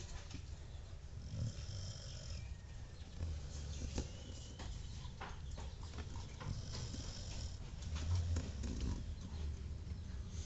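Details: Pet dog snoring while asleep indoors: soft low rumbling breaths that swell in irregular bursts, with the loudest snores near the end.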